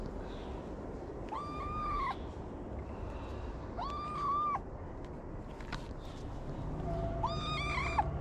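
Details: Homeless kitten on a Moroccan street, climbing onto the lap of the person who feeds it, repeating three evenly spaced arched meows about every two and a half to three seconds over low background rumble.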